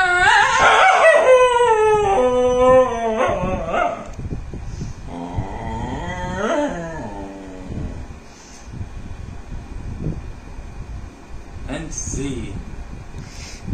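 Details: Dog singing for fun, with strong harmonic howls in the first four seconds that slide downward from high pitch, then a rising-and-falling howl near six seconds, followed by quieter whimpers and noise.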